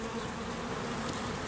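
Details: Honey bees swarming into a garden bait hive in early June, producing an unbroken wash of buzzing, even and constant with no pauses.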